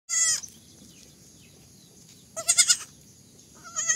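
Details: Baby goats bleating: a short, high, quavering bleat opens, a second wavering bleat follows near the middle, and a third begins right at the end, with quiet gaps between them.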